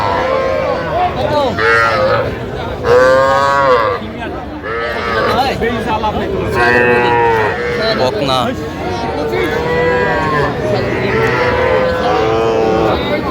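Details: Heifer and bull calves at a Jamalpur livestock market in Bangladesh, 25 October 2025: a long run of repeated bellowing moos, one every second or two, rich in harmonics, with busy market talk behind.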